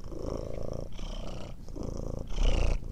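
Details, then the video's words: Domestic cat purring, offered as relaxing sleep sound: low rumbling purr in alternating phases, each lasting about a second, with brief gaps between breaths and a louder final stretch. "Ronronnement Du Chat Relaxant Pour Dormir Et Bien Dormir"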